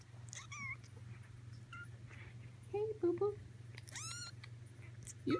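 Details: Persian kittens almost four weeks old giving thin, high mews, some short and flat, one longer rising-then-falling cry near the end, with low voices and a steady low hum underneath.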